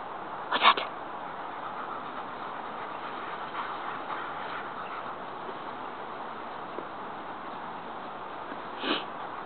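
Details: Backyard alert barking from a young Rottweiler named Jango, nine months old, learning a "What's That?" bark command as a roommate arrives home. One loud bark opens, a long hissy gap follows, and a softer bark closes.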